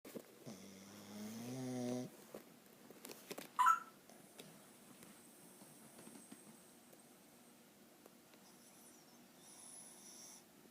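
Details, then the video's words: Sleeping dog snoring: a drawn-out, buzzy, harmonic snore that slowly rises in pitch over about two seconds, then a sharp squeak and softer, fainter breathing sounds in a small indoor room. "Dog snoring"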